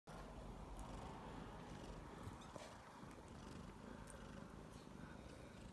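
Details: Mother domestic cat purring while nursing her 3-week-old kittens indoors; a steady, low rumbling purr runs through the whole stretch without a break.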